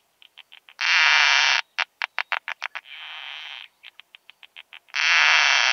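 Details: Isophya costata, the keeled plump bush-cricket, at Zitzmannsdorfer Wiesen, Austria, on 1 June 2020, heard through a Pettersson D 100 ultrasound detector: faint ticks lead into a loud rasping buzz, a quick series of clicks, a quieter hiss, more ticks and a final buzz.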